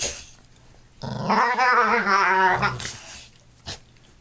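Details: Pet dog giving a long, rumbling growl that rises and wavers for about a second and a half, with a few sharp clicks and knocks before and after.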